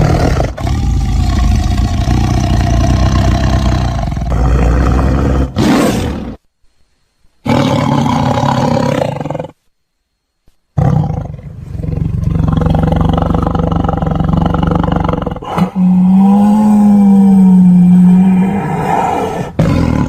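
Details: Tiger (Panthera tigris) gives deep, rumbling roars and growls broken by brief silences, described as roaring while looking for prey.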